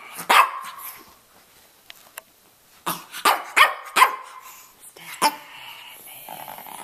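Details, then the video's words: A red rough-coat Brussels Griffon named Stanley, a roughly 2.5-year-old male from Miami, gives scattered sharp barks with growly edges, separated by quiet pauses, during his talking. "Stanley Talking"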